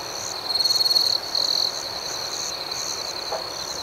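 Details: Crickets singing at night: a nearby insect gives a rapid pulsed trill for about a second, pauses, then trills again briefly. A steady high-pitched chorus of others continues behind it.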